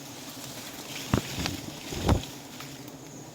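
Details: Outdoor wind rumble with a few dull thumps and knocks, and no animal voice or buzzing.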